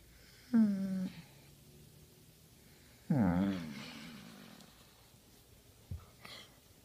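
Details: A Basset Hound called Henry voices contentment while scratched in the right spot indoors: two moaning, wavering groans about two and a half seconds apart, then a short snort and breathy exhale.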